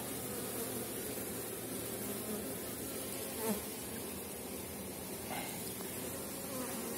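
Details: Honey bees in a strong end-of-season colony on 4.9 mm cells, heard while frames with capped brood and eggs are inspected: a dense, even background drone with a soft thud midway and faint handling noise.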